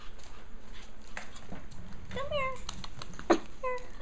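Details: Japanese Chin puppy in a litter indoors, giving a drawn-out whimpering whine with falling harmonics, then a short squeak and another brief whine, with quiet human talk behind.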